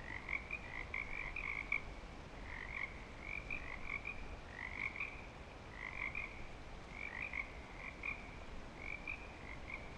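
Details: Frogs back and calling for breeding at Clearwater Commons: clustered bursts of quick, bright croaks, pausing briefly between groups, several animals overlapping throughout.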